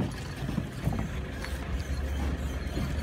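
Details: Only a low, rumbling wind or handling noise with faint muffled knocks is heard, and no animal calls.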